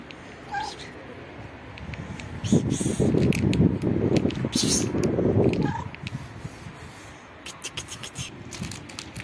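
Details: Pregnant black cat living on the street, objecting as her belly is touched: a low rumbling growl lasting about three seconds, with faint brief squeaky cries just before and after, and scattered sharp clicking noises.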